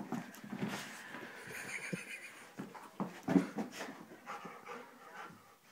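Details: Labrador Retriever indoors, excited when given a chew treat, whimpering and panting in short broken bursts with a few sharper yelps, while a person's voice speaks nearby.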